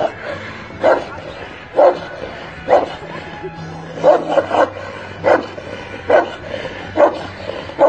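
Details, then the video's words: Angry dog barking: short, harsh barks repeated roughly every second, steady and insistent, over a low background hum. "the dog is so angry"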